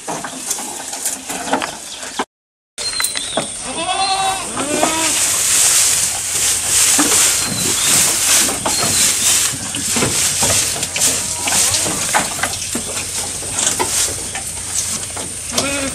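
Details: Goat eating at close range: a short wavering bleat early on, then steady loud crunching and rustling of food, fast, irregular chewing clicks filling the rest.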